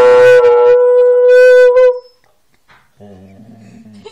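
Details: Kanu, a Siberian Husky, holds a loud, even howl for about two seconds before it breaks off. After a pause, a quieter low human voice hums.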